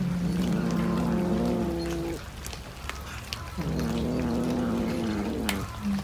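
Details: Domestic cat giving long, low, drawn-out wavering yowls. The tone holds steady, bends slightly upward, breaks off near the middle, then resumes with a second sustained moaning wail. A faint background hum runs underneath.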